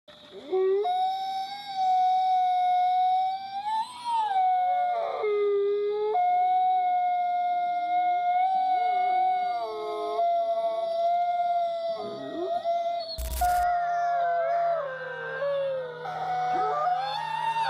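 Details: Himalayan wolf, a grey wolf subspecies adapted to high altitudes, howling in the Himalayan region: long sustained steady howls from several voices overlapping, some rising and dipping, with a faint background hum.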